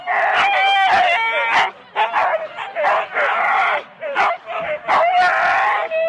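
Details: Husky sled dogs in four-dog teams at the start of a race, Rendlesham, January 2016, recorded on analogue cassette: a dense chorus of excited barks and drawn-out howling yelps from several dogs, with overlapping voices and brief pauses.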